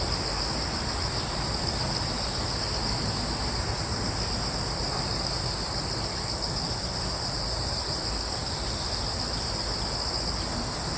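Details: Steady high-pitched cricket chorus in a wood on Yeongjong Island, Korea, droning without pause over a prominent low rumble of breeze.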